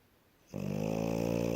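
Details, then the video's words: Female French Bulldog, flopped onto a bed after play and fast asleep, gives a sudden, loud, throaty rattling snore that continues steadily after a quiet start. "Французский бульдог Ася здоровый сон и храп"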